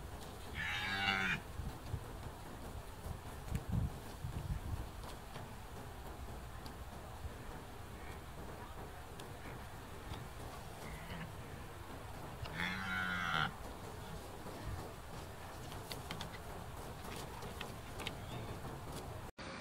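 A red deer stag gives two deep, rough bellows, about twelve seconds apart, during the autumn rut.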